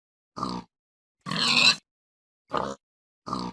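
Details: Pig grunting in four separate bursts, the second longer and harsher with a raspy squealing edge, short grunts between, silence in the gaps.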